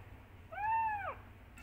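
A kitten gives a single loud, clear meow, calling for its mother.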